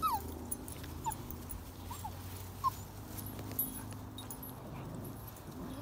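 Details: Irish Setter puppies, forty days old, kept as a family litter: several brief high squeaky whimpers, spaced about a second apart, then quiet, over a steady low hum and soft rustling.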